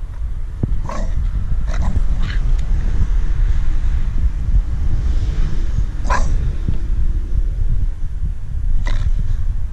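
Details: Staffordshire Bull Terrier female on guard over her stick, growling continuously in a deep, rough rumble, with a few brief clicks and scrapes scattered through.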